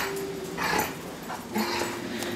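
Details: Female dog Lady Bear whining excitedly while welcoming her part-time owner home, during a joyful ritual of tail-wagging and frolicking. A thin, steady whine opens the clip, followed by snuffly bursts of noise and the owner calling her over.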